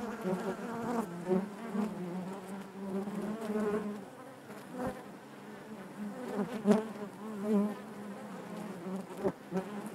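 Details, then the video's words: Continuous buzzing of honey bees in their hive, a low thick drone with wavering overtones and several short clicks or bumps of bees nearby. "bees therapy hive natural buzzing sound"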